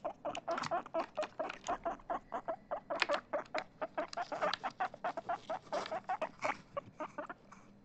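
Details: Chip, a pet guinea pig described as excited, gives a fast run of short squeaky chirps, about four to five per second, steady and clipped throughout, in a quiet indoor setting.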